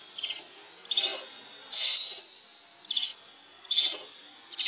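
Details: Hungry baby monkey Lucie wails at a mother who will not let it nurse: harsh, piercing squeals in bursts about every second, some drawn out and strained, with a steady electronic-sounding whine in the background.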